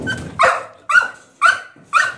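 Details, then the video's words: Caged puppy barking because it wants out of its cage: four sharp, bright barks about half a second apart, each rising abruptly and fading quickly, in a small indoor space. "puppy wants out"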